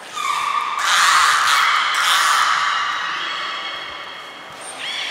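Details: Beluga at Port of Nagoya Public Aquarium during a training session with Gray, Nana and Mirai on 6 August 2023: a long, loud harmonic tone held steady for about four seconds. Breathy bursts sweep across it, and a brief high whistle rises at the end.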